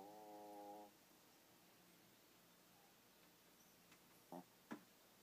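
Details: A tired Boston Terrier sleeping in bed gives one buzzy, droning snore, then sleeps quietly with a few soft clicks.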